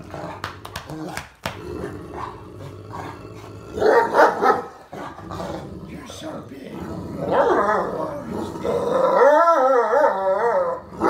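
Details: Great Dane lying in bed, vocally 'arguing' back as its owner and another Great Dane try to get it out of bed: low grumbles, then a long wavering, moaning howl-like sound, with a man talking throughout.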